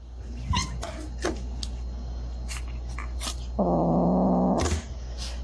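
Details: Domestic cat indoors, from a compilation of funny cat moments, letting out a low, steady, buzzy growl lasting about one second, set against a constant low hum and scattered soft knocks and clicks.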